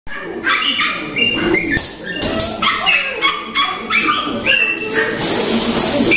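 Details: Six-week-old male Maltipoo puppies, filmed in October, give a busy run of high, thin yips and whining squeals that overlap throughout, some sliding up and down in pitch.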